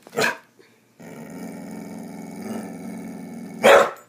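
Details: A dog opens with one sharp bark, then gives a low, sustained rumbling growl lasting nearly three seconds before ending with another loud bark.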